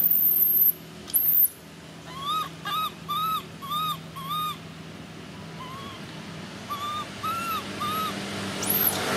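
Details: Baby monkey screaming: shrill high squeals open the sequence, then a run of repeated arched tonal cries about every half second, a short pause, more cries, and a final high squeal.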